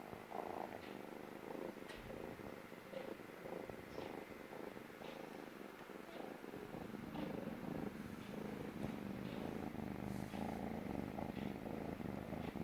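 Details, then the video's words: A stray kitten purring loudly while sitting on a lap for the first time, feeling safe: continuous low rough purring with rhythmic pulses from inhaling and exhaling, plus faint soft clicks. "Kitten making this noise means he feels safe!"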